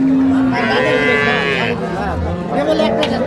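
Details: At Ambari haat cattle market, 2/3/25, an improved-breed dairy cow or calf gives one brief, full-throated moo over lively bargaining voices and some background music.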